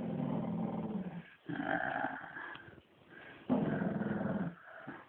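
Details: During playtime a Shih Tzu growls in low, throaty stretches, three broken phrases of rumbling with a few sharper edges.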